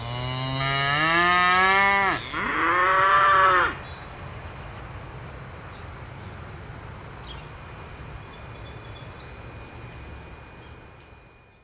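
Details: Belted Galloway cow, the rare Oreo cow breed kept at Gwynnbrook Farm, gives a drawn-out two-part moo, a low rising bellow breaking into a louder, harsher second note, then quiet farm background with faint distant chirps.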